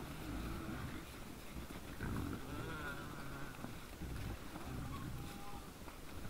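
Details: Deep, throaty grunting from wild boars in front of a deer camera on 17 December 2022 at 20:17, with a louder snort near the middle against constant low hiss.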